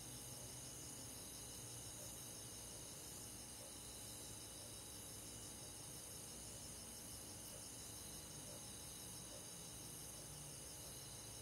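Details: Crickets and other insects on a summer night in a countryside forest give a steady, dense high-pitched chorus of overlapping, shimmering trills that pulse evenly throughout, with no other clear sounds.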